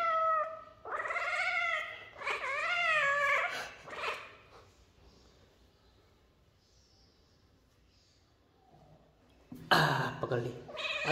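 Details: Kitten meowing repeatedly indoors, several rising-falling harmonic meows in the first four seconds, a pause, then a loud burst of meowing near the end, with a person coaxing it in Hindi.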